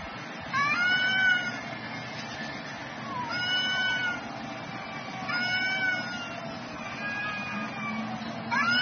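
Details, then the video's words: Noon fight between two cats: repeated moaning yowls with strong overtones, a wavering cry every couple of seconds, with a low hum underneath. "Caught Two Cats Fighting at Noon"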